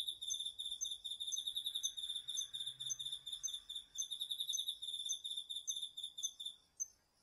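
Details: Cricket among autumn insects singing at night in a home garden vegetable plot, recorded with a DR-40X: high, bright pulsed chirps in rapid, regular bursts, a steady metallic trilling rhythm continuing for about seven seconds before stopping, over a quiet background.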